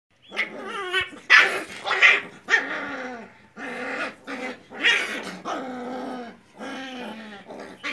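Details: Heavy-boned Rottweiler puppies in Mumbai give high, whiny yelps and short barks in uneven, overlapping bursts.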